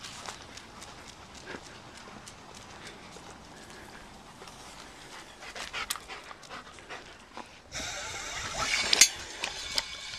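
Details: Black German Shepherd dog on a walk, breathing in fast, hissing pants that grow louder and rougher toward the end, where a burst of broadband rustling and a few sharp clicks take over.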